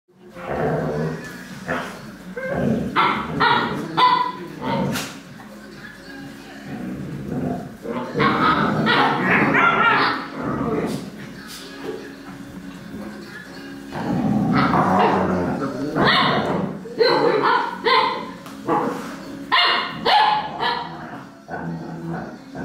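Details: Alaskan Malamute puppies, recorded 1 December 2013, give short, high yelps and whines in bursts, with people talking nearby.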